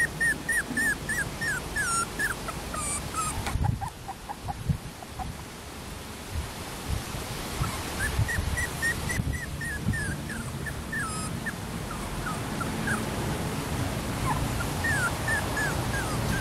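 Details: Female Schnauzer puppy born April 13 giving thin, high whimpering squeaks in quick bursts, each cry rising then falling, with quiet gaps and soft rustling or handling noise in between.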